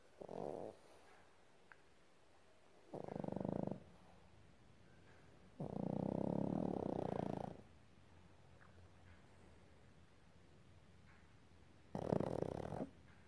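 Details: A baby Boston Terrier asleep and snoring loudly, four rough, rattling snore breaths spaced a few seconds apart, the longest lasting nearly two seconds, quiet room between them.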